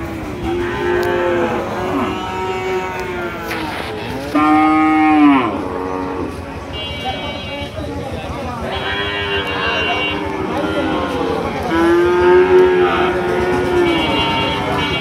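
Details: Large cow at Paranpur cattle market in Gopalganj, giving long, harmonic-rich moos that rise and fall in arched contours, several in succession over steady background music and crowd noise.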